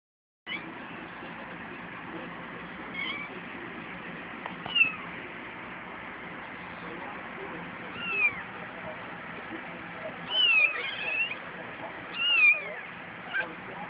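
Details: Ten-day-old kittens playing, cared for among neighborhood stray and feral cats; thin, high rising-and-falling mews come singly and in short clusters over a steady background hiss.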